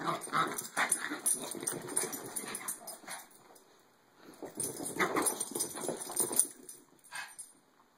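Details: Maltese dogs in a play fight, with a busy stream of short grumbling growls and snuffles, quick and irregular, fading briefly midway before picking up again.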